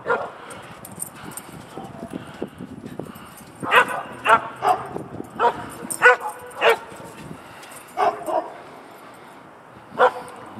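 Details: Maya, a dog running around a yard, gives sharp barks in irregular bursts, with quiet rustling and movement between them, the loudest barks coming between four and seven seconds and a final one near the end; a person speaks briefly.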